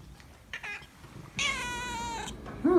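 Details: Polydactyl calico cat named Debbie gives a faint short meow then one long, steady harmonic meow indoors, followed by a person's voice asking why she is so whiny.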